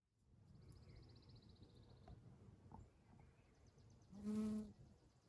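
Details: Honey bee in a spring setting among Eastern Redbuds: after a quiet stretch, a single loud, low droning buzz swells and fades in under a second. A thin, high bird trill rises earlier over soft background hum.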